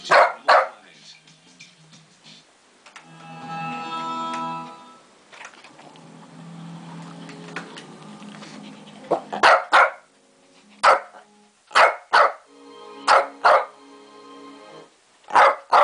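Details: Shih Tzu barking at lions on TV indoors. Sharp, high yappy barks come singly and in quick pairs through the second half, after a stretch of television narration and rumbling wildlife sounds.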